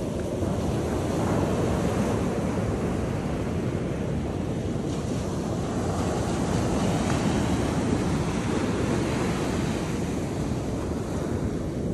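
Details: Continuous rushing surf and wind noise buffet the microphone, with no animal sound.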